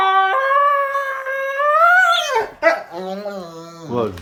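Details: Happy Rottweiler puppy making crazy noises, a long tonal howl that climbs slowly, then breaks and drops into lower, wavering moans, ending with a short rising whine.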